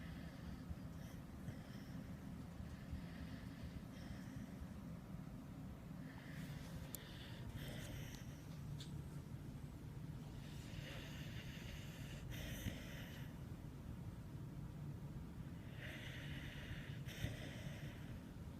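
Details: A pet dog snoring while asleep. Breathy, hissing snore bursts come roughly every four to five seconds over a steady low rumble, with quieter intakes between them.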